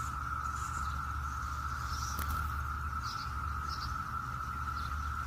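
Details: Brood X periodical cicadas in Maryland on a June 7, 2021 morning fill the air with a steady, unbroken droning chorus, with faint bird notes above.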